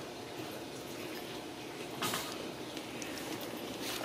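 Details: Quiet indoor hiss with a soft sliding or door-like rumble around the midpoint, and no animal voice present.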